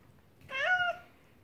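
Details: Male house cat asking for dried anchovy the moment it is taken from the pouch, giving one short meow that rises slightly, then holds and drops off, about half a second long, in a quiet room.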